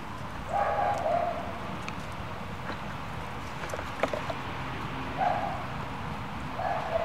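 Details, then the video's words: Playing German Shepherd puppies from the W litter let out brief nasal whining yelps, a longer pair early on then two short ones toward the end, amid faint thumps and steady low background noise. "W Litter Puppies Play time Part 2"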